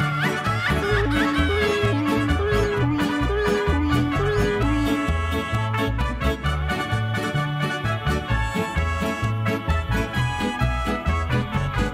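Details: Upbeat instrumental music with accordion-like melody and steady bouncy bass, repeated short notes around the mid range; no animal voice is heard.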